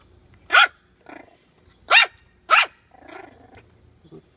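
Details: Playing with bully sticks, a puppy alternates three loud sharp barks with lower, rougher growling grumbles, ending in a soft short whine.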